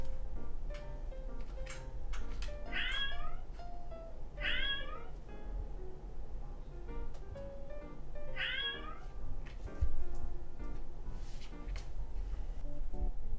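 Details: Three short descending meows from Ramune, a male Scottish Fold born 28 December 2019, during a trial of apps claimed to translate cat speech, with gentle music playing continuously underneath.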